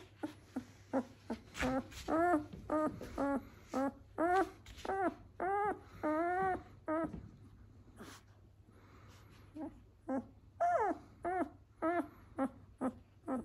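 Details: Indoor recording of a ten-day-old Doberman puppy from a European-line breeder in Vancouver, BC: steady series of arched, nasal whines and squeals, roughly two per second, with a short lull midway before the crying resumes.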